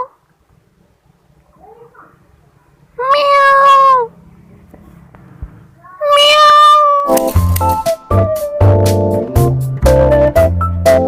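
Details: Cat meowing twice, each call a sustained, slightly wavering tone lasting about a second, followed by loud music with a steady beat that takes over the second half.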